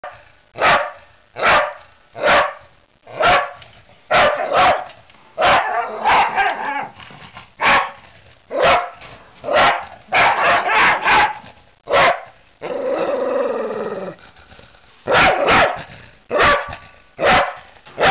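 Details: Welsh Terrier attacking a ladder, barking in sharp, loud bursts, many in quick runs, about one a second with uneven spacing, and a longer harsh growl-like sound midway.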